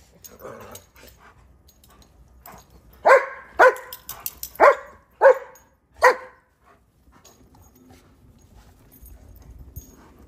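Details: German Shepherds playing in the snow in a cold, icy Chicago winter, chasing each other alongside a Rhodesian Ridgeback; a run of five loud barks in the middle, spaced about half a second apart, with quiet rustling before and after.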